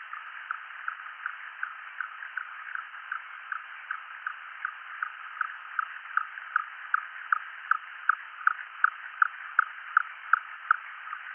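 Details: A fin whale's singlet song, one note of about 20 Hz and about a second long, recorded on seafloor seismometers and sped up into a steady run of single pulses repeating every fraction of a second.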